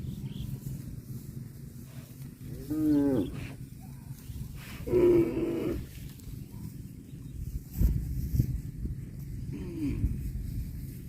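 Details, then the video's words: Cow eating grass, letting out two short moos a couple of seconds apart, each harmonic and slightly wavering, then a fainter low call near the end, all over constant low-pitched rumbling noise. "CUTE AND FUNNY COW SOUND EATING GRASS COMPILATION - COW MOOING- CON BO"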